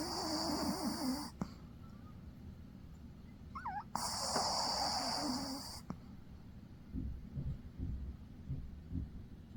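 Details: An asleep dog snores in rough, airy wheezes, one long breath then another a few seconds later, with small squeaky whistles and soft snuffling noises toward the end.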